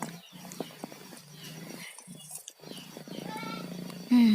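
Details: Pet cats Tayen and Lilu, both sick with colds, snoring in their sleep: low, rough, rasping breaths in repeated bursts of about half a second to a second, split by brief quiet gaps, with a sudden loud tone at the very end.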